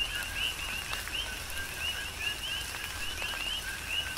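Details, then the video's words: Rain falling on Hawaii's Big Island with coqui frogs in the background, thin upswept whistles recurring about twice a second over a sustained lower tone, raindrop clicks and a broad hiss of rain. "Tropical Rain & Coqui"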